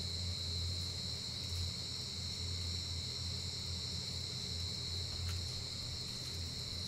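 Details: Giant rice cricket, which rises to the surface only in its breeding season. A sustained, shrill, monotone ringing carries on without a break, with a steady low hum underneath and one brief tick.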